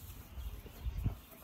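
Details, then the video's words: Wolfdog giving a light growl while lying down, using its mouth to communicate; soft, low rumbling pulses that swell briefly near the end, otherwise quiet. "Wolf Dogs Growling Mouthing Biting Snarling Showing Teeth"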